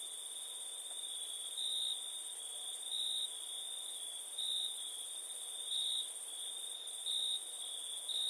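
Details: Night-time cricket chorus: a continuous high-pitched trill underlies bursts of louder chirping arriving about every second or so, with a thin, even higher ticking layer running across the whole stretch.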